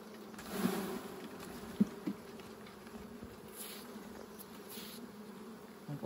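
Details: Bees during a honey harvest, a steady low droning hum with a fainter overtone above it, broken by a few sharp knocks and handling thuds.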